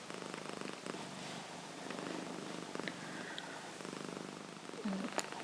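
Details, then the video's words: A female Himalayan cat, asleep indoors, snoring softly in a steady low rumble with rhythmic breaths, plus faint rustling and a few brief clicks. "Kitty Sleeping, Rolling, and Snoring"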